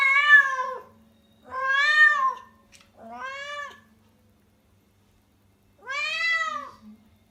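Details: Female rescued pet cat in heat in Tendō, Yamagata Prefecture, Japan, crying loudly all day before spaying: four clear wailing meows, each swelling and sliding down at the end, separated by short pauses in a quiet room.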